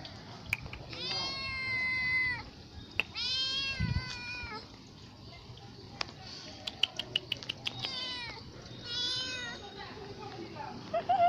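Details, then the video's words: A poor cat, perhaps begging for food, gives three drawn-out, rich harmonic meows, each lasting over a second and separated by short pauses, with scattered clicks and a low background hum between calls. "CAT MEOW"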